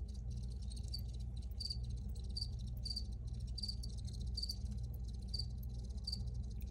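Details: Crickets recorded in the wild: short high trilled chirps repeated about every half second in a steady run, over a constant deep low rumble.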